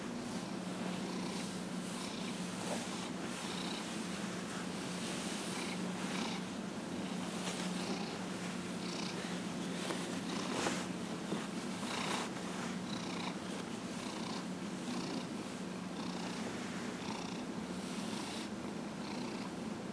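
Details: Fifteen-and-a-half-year-old house cat Dillard purrs during a massage, January 31, 2018: continuous low, even rumble across the whole stretch, overlaid by frequent rustling strokes of hands on fur.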